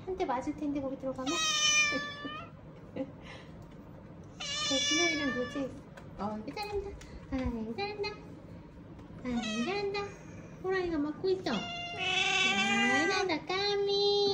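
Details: Weak rescued kittens, discovered clinging together after a family funeral, cry repeatedly with sharp high-pitched meows, several bending downward, the calls growing denser near the end while a voice speaks in the background.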